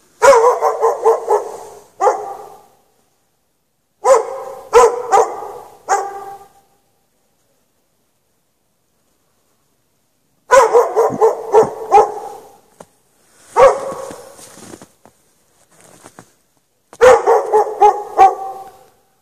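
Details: Dog chained outdoors in snow at night, no shelter, barking in rapid volleys of four to six barks, pausing several seconds between groups.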